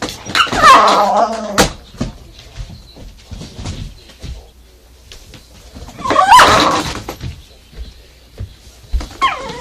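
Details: Indoors, the Kishu Sakura confronts a vacuum cleaner with two loud bursts of rough barking about five seconds apart, quieter thumps and shuffling in between, and a fainter bark at the end.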